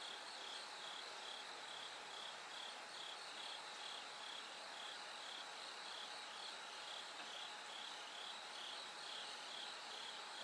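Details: High tinkling chirps of a bell cricket, sung from night until the light grows at dawn, pulse rhythmically about two or more times per second amid a broad hiss of many calling insects and a faint low drone.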